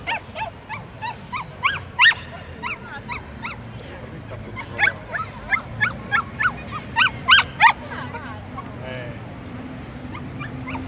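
A Bichon Frise makes quick, high-pitched yelping whines, short arched notes tumbling out several per second before trailing off. A low background rumble and faint voices sit underneath.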